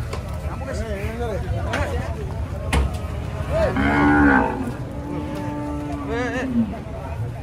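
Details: Bull rampaging as it comes down off a truck: a loud, strained bellow swelling around the middle, then a long steady drawn-out moo, over background voices and engine rumble.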